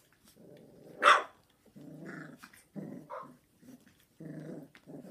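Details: Indoors, Jack Russell terrier girls Heaven and Diva on evening duty with a Golden Retriever mother and her 3.5-week-old puppies; low rumbling growls come in bursts of about a second, with one sharp louder yelp-like sound near the start.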